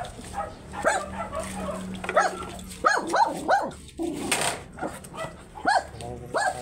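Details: Tiny Shih Tzu at a stud session in Pangasinan, a series of brief rising-and-falling whiny yips, clustered around the middle and repeated about every half second, over a low steady hum and faint voices.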